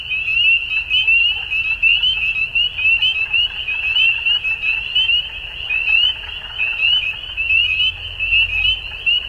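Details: Frogs calling at dusk in spring in Ontario, Canada: a dense chorus of short, high, upslurred peeps overlapping continuously, with pulses swelling and fading about once a second over a faint low rumble.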